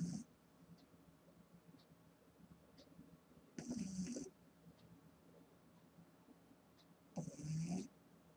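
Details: An eight-week-old female Boston Terrier puppy snores while sleeping: two harsh, low snorts about three and a half seconds apart with a whistling hiss, plus a fainter breath at the very start.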